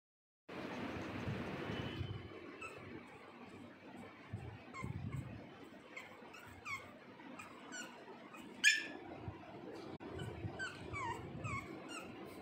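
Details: Pug making weird noises: a stream of short, thin, high squeaks and whines scattered throughout, with one sharp louder squeal standing out past the middle, over a low steady rumbling background.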